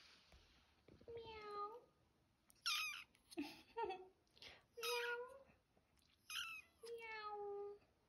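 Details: Kitten meowing for the first time in a small room: several drawn-out, falling mews alternate with a person's coaxing speech, the calls coming every second or two.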